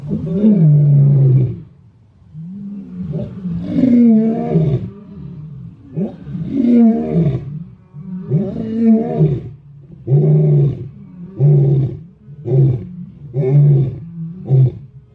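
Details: Lion roaring in the morning: a few long, deep moaning roars give way to a series of shorter grunting roars, each about a second apart, loud and low-pitched with little background noise.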